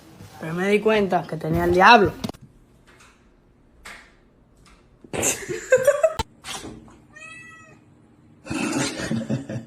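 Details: Kitten giving a string of wobbling, up-and-down meows, a pause with light room noise, then a short rising cry. Bursts of clatter and brief voices are heard between calls.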